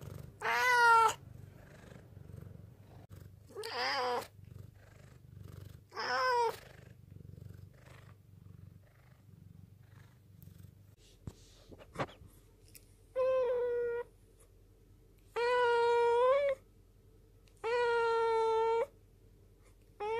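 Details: Rescued black cat named Ten, taken in from a mountain village in 2013, meowing low to appeal to its owner while staring steadily; about seven drawn-out harmonic meows, the first three short and rough, later ones longer and steadier, separated by quiet pauses.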